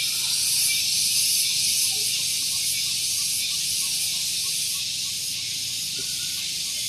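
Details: Cicadas singing loudly on a morning at Gunung Geulis, Bogor, West Java, near a vehicle parking area: a dense, continuous high buzzing drone with a faint rapid pulsing, steady throughout, with faint low rumble beneath.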